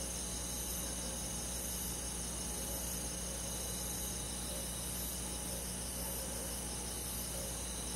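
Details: Crickets and other insects on a summer night in a countryside forest, forming a dense, unbroken high shimmering chorus of steady overlapping trills, with a low constant hum underneath.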